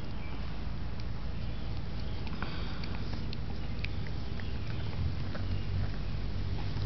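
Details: Whippet named Chance Jr., filmed on 12 July 2010 alongside another dog called Blue, sniffing in soft, breathy bursts over steady low rumbling background noise, with a woman's voice chatting nearby.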